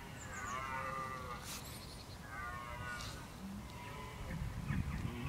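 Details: Red deer bellowing, or bolving, in October 2014 while preparing for the rut: drawn-out harmonic groans that rise and fall over several seconds, against steady low wind rumble with a few faint higher calls.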